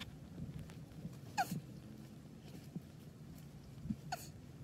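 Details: Male Russian tortoise mounting a female during mating, March 27, 2021; two short, squeaky, downward-slurred chirps about three seconds apart, mixed with sharp shell knocks and soft rustling.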